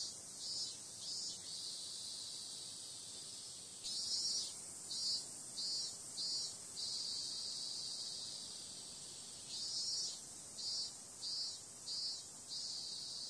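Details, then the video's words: Night cicadas keep up a constant thin, high drone while pulsing outbursts arrive in two series, each of several evenly spaced throbs roughly half a second apart, with calmer steady hum between them. "Cicada sound"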